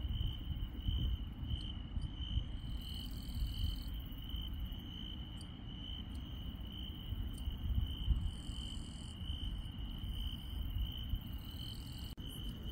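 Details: Insects on a countryside night: an unbroken high, steady trill runs throughout, with scattered faint higher chirps and buzzy patches above it, over a constant low rumble.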